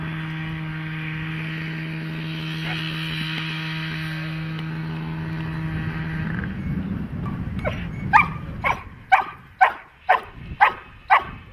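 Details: Dog at protection training: several seconds of engine-like droning hum, then rapid, regular loud barks about twice per second during the final few seconds.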